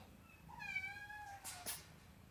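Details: A male sable classic tabby tuxedo RagaMuffin kitten gives one drawn-out meow of about a second. It starts bright and slowly falls in pitch, and is followed by a couple of short clicking noises indoors.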